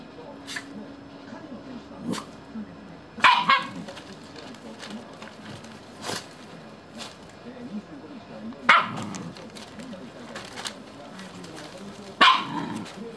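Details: Shiba Inu mother and puppies, with the pups said to be cutting their mother's leash to free her. Three sharp, loud single barks come several seconds apart over soft rustling and faint background chatter.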